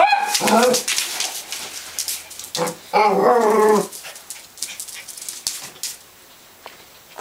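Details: Rhodesian Ridgeback chasing a laser light at home, letting out clustered harsh barks and whiny yelps over the first four seconds, then quieter scuffling sounds and faint voices.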